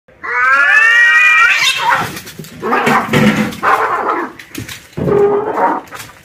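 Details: Angry male cats fighting: a long, drawn-out, rising and falling yowl, then harsh, ragged screeching cries in broken bursts, with a brief pause before a final wailing yowl.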